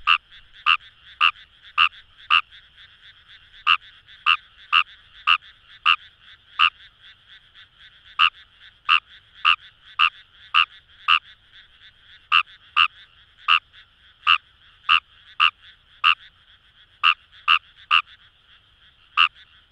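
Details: Numagaeru, Fejervarya kawamurai, in rice paddies by the Kamo River, Itoshima, Fukuoka, Japan: brief clicking croaks come in quick runs with a short pause, around thirty in twenty seconds, against a continuous background chorus of frogs.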